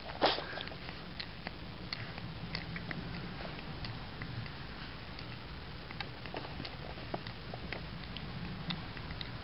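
A sleeping Boston Terrier makes soft, dry clicks in a steady rhythm, like a ticking clock.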